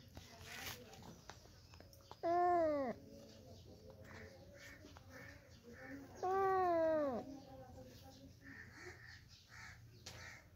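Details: Cat from a compilation of funny cats and kittens: two drawn-out meows with rich harmonics, each rising then falling in an arch, about four seconds apart, over quiet indoor room noise with faint voices.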